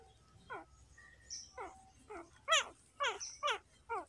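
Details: Newborn puppies riding in a child's cart outdoors: a series of about eight high, wavering whimpers and squeals, each sliding downward in pitch, coming in quick bursts with short pauses between.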